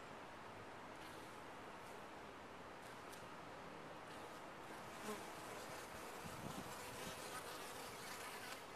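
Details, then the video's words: Bees in a top-bar hive give a steady, dense droning hum that holds throughout, with a few brief, louder buzzes of single bees passing close near the end. "Bees in a topbar hive"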